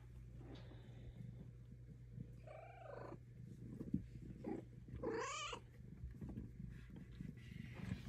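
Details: Luna, a pet cat, rumbles a steady low purr while getting belly rubs indoors, interrupted by two short chirping meows near the middle of the clip, over a faint constant electrical hum.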